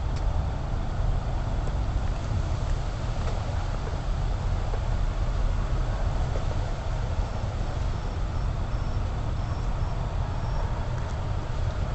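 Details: Constant rumbling hiss from a distant surveillance recording, with no animal calls.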